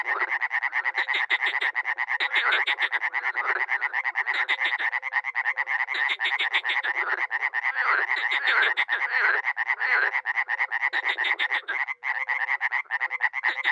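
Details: Dozens of frogs and toads croaking at a small pond in Miroslovesti, north-eastern Romania, in spring: a dense, unbroken chorus of rapid rasping croaks, with short low hooting notes repeated beneath throughout.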